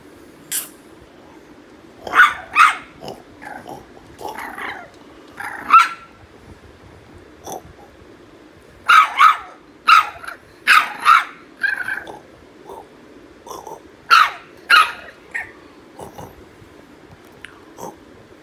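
Several French Bulldog puppies give shrill, clipped yaps and whiny barks in clusters, with short pauses between outbursts. The fussy chorus is their protest at not getting their way.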